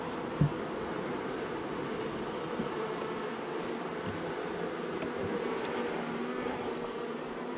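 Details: Angry honey bee colony, long established in the wall of a house, roused after dark on day one of a March 6 rescue cutout: a dense, steady low droning hum with a faint knock near the start.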